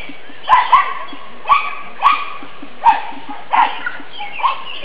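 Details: Nine-week-old black and fawn pug puppies romping in a yard on a sunny spring day: short high yips and squeaky barks in pairs, about seven bursts, with faint background hum.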